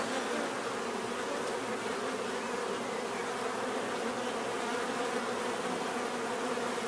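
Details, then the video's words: A dense, unbroken hum of many bees buzzing together, level and continuous, with a soft hissing layer above the low drone and no other clear sounds. "bees therapy relaxing natural buzzing sound"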